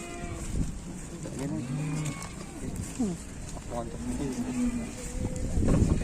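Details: Cattle that seem to be sulking and angry at not yet being fed, while being taken to market: short, low, bending moo calls come in several brief bursts, mixed with people talking and background clatter.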